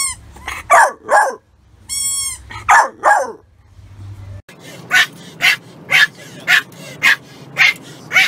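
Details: Dog barking from a compilation of funny dogs and puppies: a few ringing yaps and harsher barks, then a steady run of rough, breathy barks repeated about twice a second against background noise.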